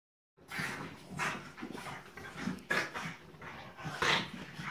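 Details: French Bulldog puppies Tinkerbell and Woody playing; short high whiny yips and whimpers repeat about every half second, with scuffling noise between them.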